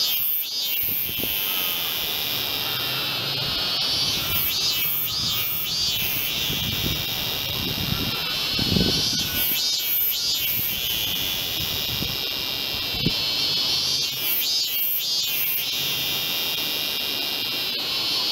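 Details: In August 2018 on temple grounds in Tokyo, an "off-key" Robust cicada (Hyalessa maculaticollis) sings loud pulsing bursts of high, buzzy notes over a steady cicada chorus.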